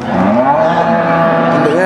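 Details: Cattle at the Warujayeng cattle market on 28 November 2019, where breeding-ready cows are sold: one drawn-out, slightly rising low moo of about two seconds, with crowd chatter and market bustle in the background.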